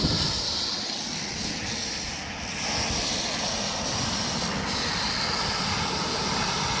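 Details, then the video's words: Rattlesnake rattling, recorded on 1 July 2018: a steady, dense, hissing buzz that holds without pause, brightest in the high register, with a slight dip in loudness midway and a faint low rumble underneath. "Víbora de cascabel."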